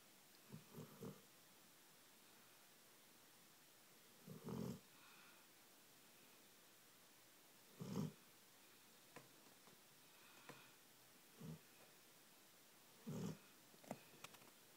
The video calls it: Basset Hound snoring and dreaming!